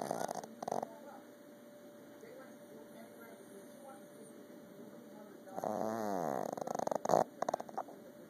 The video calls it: Boston terrier snoring